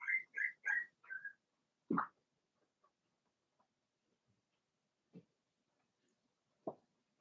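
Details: Cavalier King Charles Spaniel puppies, aged four weeks, in an indoor pen. Four quick, high whimpers open the sequence, followed by a few soft thuds and bumps in an otherwise quiet room.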